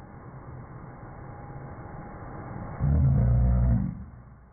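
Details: Rhodesian Ridgeback named Django, who doesn't like the vacuum cleaner, gives a single low, rumbling growl near the end after a stretch of mechanical noise, holding steady for about a second before stopping.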